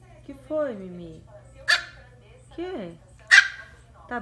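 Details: Female Miniature Pinscher; two sharp, high barks about one and a half seconds apart, mixed with a person's voice speaking in falling, drawn-out tones.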